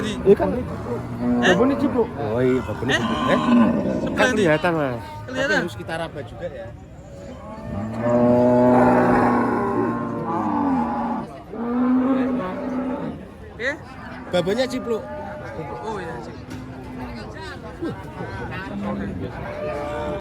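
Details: A crowd of cows just arrived by truck in a lively, packed place; a long drawn-out bellowing moo swells mid-recording among shorter lowing calls, over steady human chatter.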